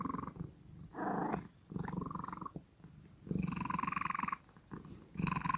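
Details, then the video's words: House cat making unusual noises: uneven series of short and long rattling, buzzy purr-like pulses with a droning whine layered on top, broken by brief quiet gaps; recorded indoors. "The cat is making strange noises"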